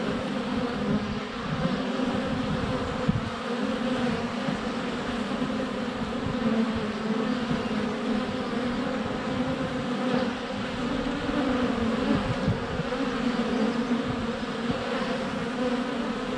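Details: Swarm of honey bees flying around the hive entrance on a sunny February day, captured by a GoPro under a foot away; continuous thick buzzing drone with fluctuating pitch and a couple of sharp taps as bees land on the camera.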